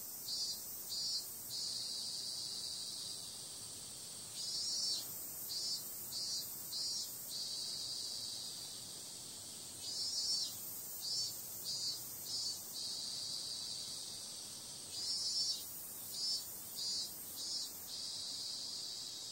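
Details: Night-time cicada chorus in summer: a constant shrill, hissy whine carries on under groups of three to five brighter pulsing bursts, each group separated by several seconds of steady drone.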